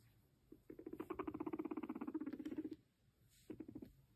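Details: Pet guinea pig purring as it comes up to its owner: a low, buzzy, rapidly pulsed rumble lasting about two seconds, then a shorter burst after a pause, in a quiet room.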